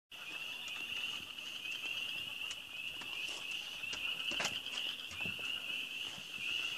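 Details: Frogs chirping at the start of spring in the Ozarks: a dense, unbroken high-pitched chorus of many callers, with short rising chirps repeating quickly over the steady din and occasional sharper clicks.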